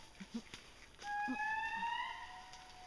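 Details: A young male indri (Indri indri, Babakoto) in Parc Mitsinjo near Andasibe, Madagascar, in June 2011, gives a long, sustained wail that holds a steady tone and climbs slightly in pitch.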